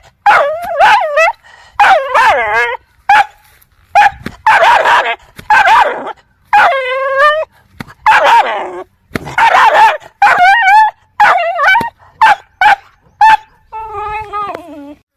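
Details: Aggressive dogs barking angrily, a rapid run of short harsh barks interspersed with tonal wavering yips and whines, roughly one burst every second, ending on a falling whimper.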